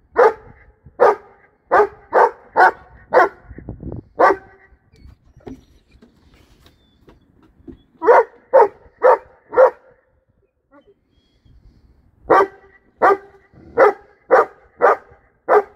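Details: Female brindle Boerboel, three years old, kept with a young female Serbian Defense Dog; deep barks arrive in three rapid bursts of five to seven, each bark about half a second apart, separated by quiet gaps.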